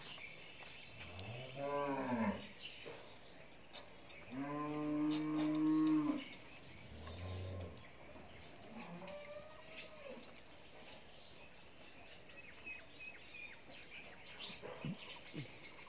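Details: Nine-month-old Friesian heifer calf on a dairy farm in Pabna, Bangladesh, giving three loud, drawn-out harmonic moos in the first eight seconds, then fainter lowing, with a brief sharp click near the end.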